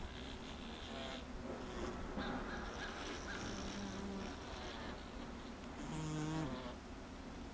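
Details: Honey bees crowded inside a honey super full of bees: low, steady humming tones that rise and fade in overlapping swells, several drawn-out drones lasting about a second, over a constant background hiss with brief scratchy bursts.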